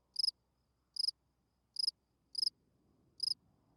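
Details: Spring field cricket singing at night, a calling song meant to attract females: five crisp high chirps, each a quick burst of three or four pulses, spaced about every 0.7 seconds over a quiet background.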